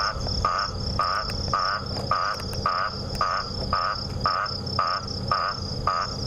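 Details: An Eastern olive toad repeats a short, nasal quacking note about twice a second over steady insect hum, heard at dusk during an October sunset safari drive in the bush.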